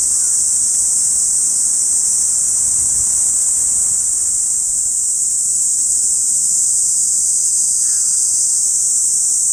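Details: Cicadas singing together in an August park in Saitama City, Japan, binaural recording: continuous shrill buzzing wall of sound without pauses, a few faint short chirps from other birds mixed in.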